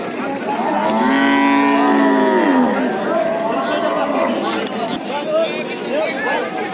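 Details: Cattle unloaded from a trawler stuck at the riverbank give one long, strong, steady moo lasting about two seconds, followed by quieter distant lowing and murmuring human voices.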